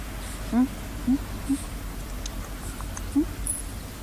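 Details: Unwell-sounding stray dog beneath wood giving brief, thin, slightly rising whines, three in quick succession and a fourth after a pause, against low background hum and light rustle.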